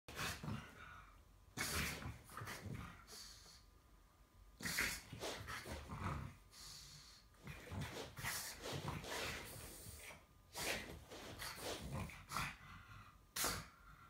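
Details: Pug wanting to play with a kitten, which does not want to; loud snorting, breathy huffs in rough bursts every one to two seconds, with quieter breathing and soft rustling between them.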